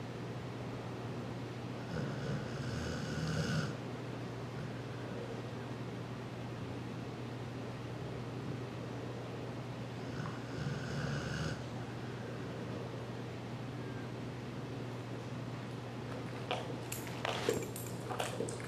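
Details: Pit Bull named Sharky snoring while asleep with a calm bunny, tired after giving the bunny a bath: two soft, rumbling snores about eight seconds apart over a steady low hum, with light clicks and rustles near the end.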